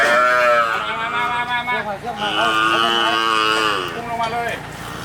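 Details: Cattle in Hua Hin district, Prachuap Khiri Khan, Thailand, on 8 July 2023, among ten cows being handed over to villagers; one drawn-out harmonic moo lasting about four seconds, wavering in pitch, with people talking nearby.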